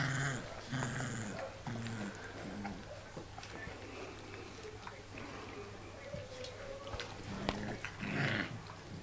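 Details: Litter of four-week-old puppies giving soft, repeated whines and low growls in short bursts, some faint background talk and rustling between calls.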